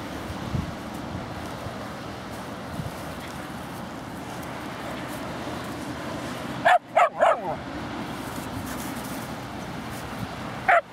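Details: Dogs at play in Laguna Beach dog park: seven-month-old Margo with a four-month-old Husky puppy. Long stretch of outdoor background, then a quick burst of three sharp, high yips around the middle and one more near the end.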